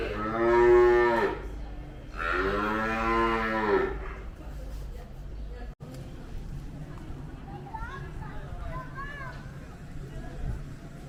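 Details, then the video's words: Young cattle 'singing' during feeding at a dairy farm near Mount Kinabalu in Malaysia. Two strong harmonic moos in the first four seconds, the second rising then falling, followed by quieter background with faint distant calls and farm noise. "BABY COWS SINGING"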